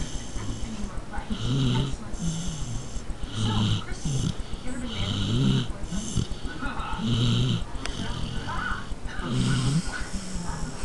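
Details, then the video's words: Carmela, a small pet dog, snores in a slow rhythm of low nasal rumbles, about one every one and a half seconds, with a steady high hum and background hiss behind. "Carmela Snoring (My little dog)"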